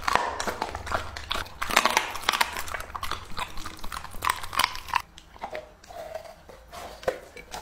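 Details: English-type Labrador Retriever, two and a half years old, chewing raw meat in a small room: dense crunchy bites and wet smacking for five seconds, then sparser, softer chews with brief pauses.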